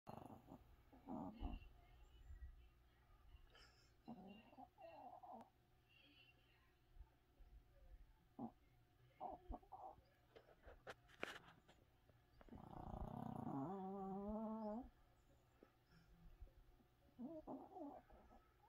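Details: Sleeping Chihuahua snoring loudly indoors: low, rough snorting breaths recurring every few seconds, with a longer wavering tonal wheeze near the middle, over a steady background hum.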